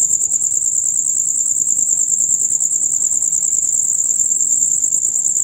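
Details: Rapid, loud chirping from male crickets, the usual night sound from dusk until dawn; a shrill pulsed trill stays steady at one high pitch, with soft low background murmur.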